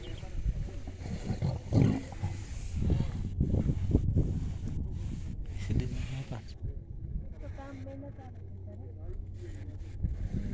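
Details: Lion pride squabbling over food: deep, rasping growls and snarling roars in heavy overlapping bursts, easing into a lower steady rumble in the second half.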